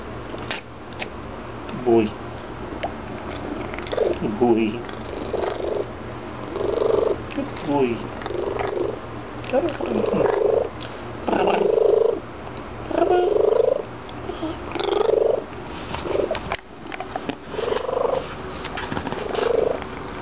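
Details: Pet cat Graybeard chattering after a few treats: a long series of short, throaty, pulsed mid-pitched calls, repeated irregularly every second or two, with a person's voice and household noises heard alongside.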